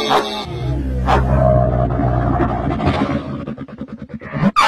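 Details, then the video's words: Camel giving a deep, rumbling bellow rich in low tones, breaking toward the end into a rapid train of gurgling pulses. "Camel Calling Sound"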